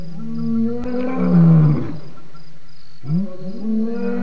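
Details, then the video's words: ['Lion at Djuma waterhole, 28 October 2016, one long deep roar sliding downward, then a pause and the start of further rising grunts.'] "BB gave us some loud ROARS"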